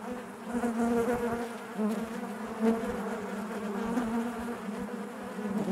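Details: Continuous droning hum of many honey bees within the hive, layered harmonic buzz wavering gently in pitch with soft pulses of louder wingbeat noise.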